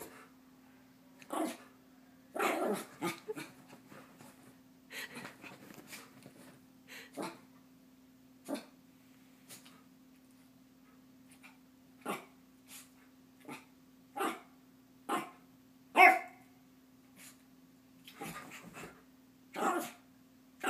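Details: Chihuahua Bailey goes wild wanting to play before bedtime: a burst of rapid yapping early on, then a long run of single sharp barks spaced one to two seconds apart, with a steady low background hum.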